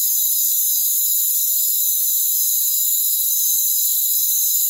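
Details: Rainforest crickets keep up an even, piercing, high-pitched chorus of layered trills at constant loudness throughout.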